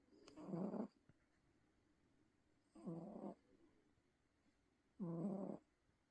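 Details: Domestic cat snoring loudly while asleep: three rough, buzzy breaths, each about half a second long, spaced roughly two seconds apart, with quiet pauses between them.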